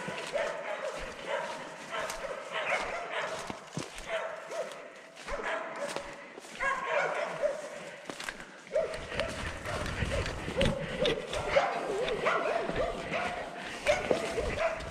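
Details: Russo-European Laika hunting dogs barking during a wild boar hunt in Belarus, a rapid, irregular run of harsh, ringing barks that keeps up throughout, with voices now and then.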